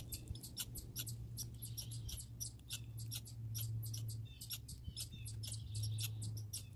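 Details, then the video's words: Grey and red squirrels give quick, high, ticking chirps, loosely spaced and irregular, against a constant low background hum. "Grey & Red Squirrel Sounds"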